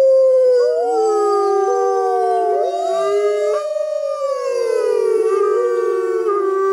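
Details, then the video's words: Wild grey wolves howl in the jungle, waiting out a full moon: several voices weave long gliding howls, some rising and falling across each other, forming a dense continuous chorus. "Wolves Howling Sounds in Wild Life | Wolf Howling"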